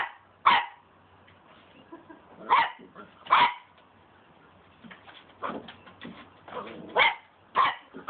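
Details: A Cocker Spaniel barks at a broom handle, giving sharp, irregular barks separated by short pauses.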